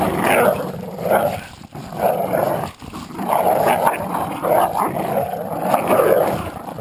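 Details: Two terriers, a Jack Russell and an American Staffordshire pit bull, in a tug-of-war game: throaty growls pulse roughly once a second, each a gravelly surge separated by short dips.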